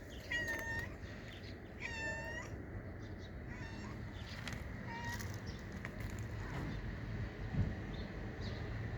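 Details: Hungry female stray cat being fed on the street gives a series of short, clear meows, each falling slightly in pitch, about four calls spaced a second or more apart over a steady low background rumble.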